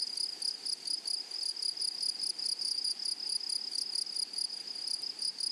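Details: A flowery meadow rings with grasshopper stridulation: thin, very high, sizzling pulses repeated quickly and evenly, forming a continuous shimmering trill.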